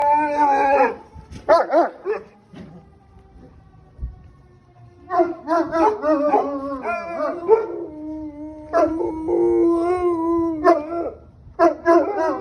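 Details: Cane Corsos howling in response to police sirens: bursts of wavering, harmonic howls with rising and falling pitch, broken by short pauses and a few sharp yips, then a long steady tone near the end.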